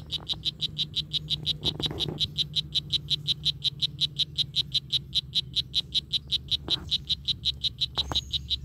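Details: Strawberry poison dart frog, Oophaga pumilio, calling: a rapid train of short high buzzy chirps, close to three per second and steady throughout, with a low hum and a few faint clicks beneath.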